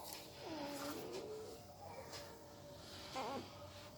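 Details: Dozing puppy making strange mouth sounds while asleep: two or three soft, bending whine notes, then a brief squeak near the end, quiet room in the background.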